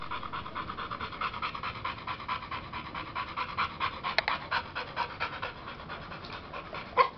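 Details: Kid Rock, a male American Bully of 100% OG Gottiline breeding, sired by Mikelands Rockafella out of Mikelands Glacier, pants rapidly and evenly throughout, several quick breaths each second, with a brief click near the end.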